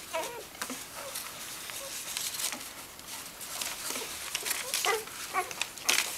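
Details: Welsh Springer Spaniel puppies nursing from their mother Megan, filmed 18 February 2011, clinging to the teats; short rising squeaks and little whimpers over a steady patter of wet suckling clicks and smacks.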